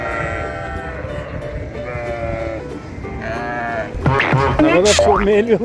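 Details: Cute lambs bleat. Steady harmonic tones and Turkish talk come first, then quavering, wavering bleats rise and fall near the end, with music playing in the background.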